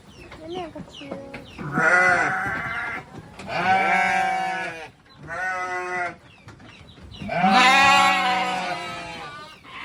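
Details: At a goat farm with many goats, including small young ones, loud wavering bleats come in four bursts, the last one long and rising, over faint chatter and softer calls.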